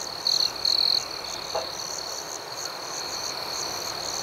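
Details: Crickets at night: two short, loud trill bursts open over a continuous high shimmering chorus of rhythmic chirps, with a faint soft knock shortly after.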